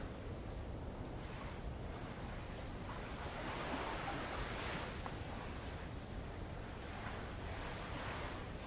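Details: High, constant insect whine from Avalau island in the Kingdom of Tonga, captured on a row around the island; the tone never breaks, with light ticks overhead, while small waves wash repeatedly over old lava.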